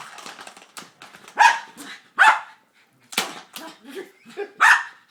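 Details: Froto the dog goes nuts over a cat toy with a stuck ball he can't get out, giving several sharp, separate barks spaced about a second apart over a low rustling, clattering background.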